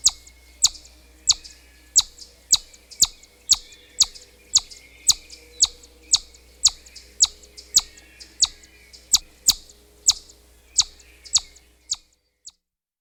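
A chipmunk gives sharp, high chips repeated steadily about every two-thirds of a second.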